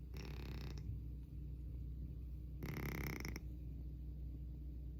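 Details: A sleeping pet cat snoring very loudly: two harsh, rasping breaths about two and a half seconds apart, each lasting under a second, over a steady low indoor hum.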